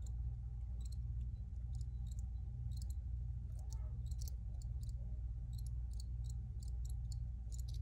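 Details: Crickets chirp in quick, high, brief pulses, often doubled, close together across the whole stretch, with a constant low hum underneath; an original recording.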